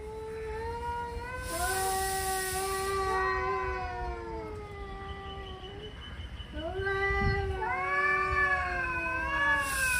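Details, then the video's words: Angry male cats yowl while warming up for a fight. Long, drawn-out wailing caterwauls waver and bend in pitch, with two voices overlapping and answering each other over a low background rumble. "Angry male cats warming up for a fight"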